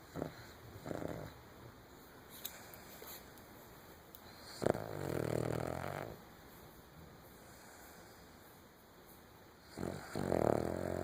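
A Cavalier King Charles Spaniel snores in rough, rasping breaths with quiet pauses between them.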